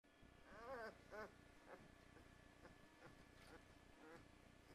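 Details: Great Dane puppies of the mother Huma, fifteen days old, giving faint, thin whimpers: a pair of rising-and-falling wavering cries near the start, then softer scattered squeaks over a constant low background hum.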